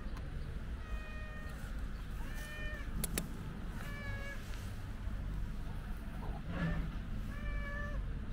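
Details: White stray cat lying on a bench table outdoors, meowing five times: clear drawn-out meows, some rising then falling, a few seconds apart, over a steady low rumble of traffic, with a sharp click midway.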